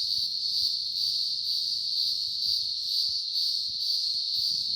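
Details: Cicadas in Blue Mountains National Park near Woodford, New South Wales, around midday when the birds fall quiet; a loud, continuous, high buzzing drone that swells and fades in a steady pulse roughly twice a second, over faint low rumbling.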